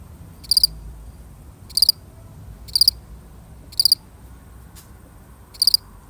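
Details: A single cricket chirping alone: short high-pitched triple-pulsed chirps repeated about once a second, slightly irregular, over a quiet low background hiss.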